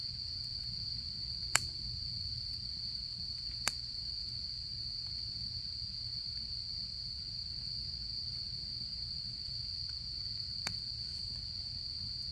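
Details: Continuous shrill trilling of autumn insects near a campfire during camping season, level and unchanging, with three crisp crackles of burning wood spaced a few seconds apart over a quiet low murmur.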